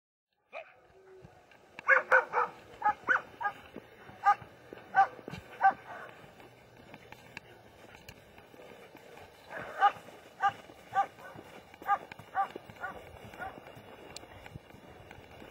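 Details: German Shepherd dog barking in two bursts: a quick run of about eight sharp, evenly spaced barks, a quiet pause of several seconds, then another series of roughly eight barks, with a faint steady hum in the background.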